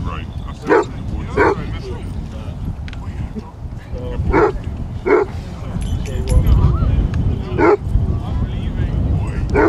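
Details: Basset Hounds, 23 of them, on a group walk of five miles around Ham Hill, Somerset, giving deep single barks every second or so amid wind rumble and people's voices outdoors.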